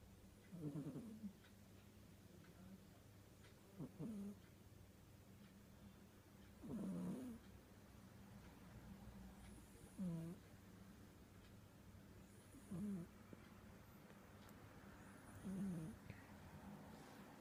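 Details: Domestic cat snoring indoors, soft low breathy snores repeating roughly every three seconds, six snore bursts with quiet gaps between, steady low hum in the background.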